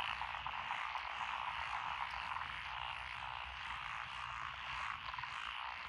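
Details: Lotus rice paddies in Echizen, Fukui, Japan, on 12 June 2021, where Japanese tree frogs, Tokyo daruma pond frogs, wrinkled frogs, Schlegel's green tree frogs and forest green tree frogs call together. A continuous, fizzing croak chorus holds fairly even, with faint rapid trills running beneath it.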